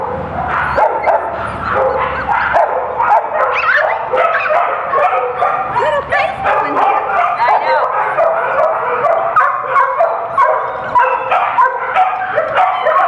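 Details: Poodle puppies awaiting adoption at a Broward County animal shelter give high, busy yips and whines, many short overlapping calls throughout, with a person's voice speaking among them.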